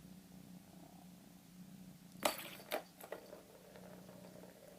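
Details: Male pet cat with his toy purring: a low, steady rumbling hum runs through the whole moment, briefly broken midway by a few sharp, loud clicks and knocks.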